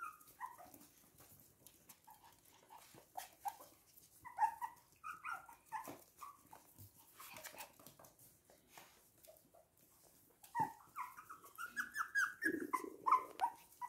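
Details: Toy and miniature poodles in Hahnstätten, 19 February 2022, whimpering indoors: scattered short, nasal whines about once a second, a quieter middle stretch with rustling, then a louder run of rising, squeaky whimpers toward the close.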